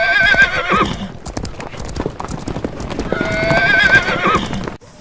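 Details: Horse whinnying twice, each a shrill quavering neigh that breaks into a falling nickering tail, with steady clip-clop of hooves throughout and a busy background.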